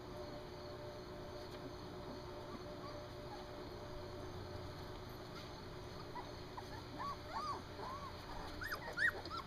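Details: Three-week-old Standard Poodle puppies on their first time outside: thin, high, arching whimpers start faintly and grow more frequent in the second half, over a steady low background hum.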